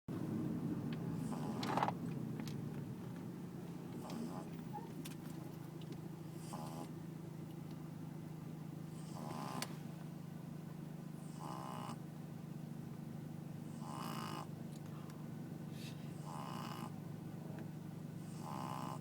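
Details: Pug snoring: short raspy breathy bursts roughly every two to two and a half seconds, each broad and hissy with a nasal buzz, over a steady low hum.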